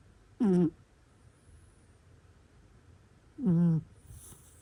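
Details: Domestic cat snoring while asleep indoors, two tonal, nasal snores about three seconds apart, each a short falling drone with a faint whistle, in a quiet room.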